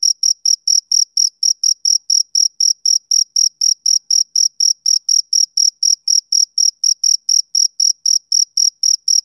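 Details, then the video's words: Male cricket chirping on a summer evening: steady, high-pitched pulsed chirps repeated about four times per second, evenly spaced throughout, with a faint higher overtone and no other sounds. "Cricket Chirping Sound Effect"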